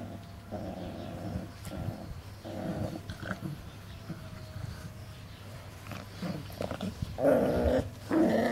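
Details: Playing Cane Corso puppies, 40 days old, in a kennel yard growl in repeated short rumbling bursts, with a louder, higher snarling outburst near the end and a constant low hum underneath.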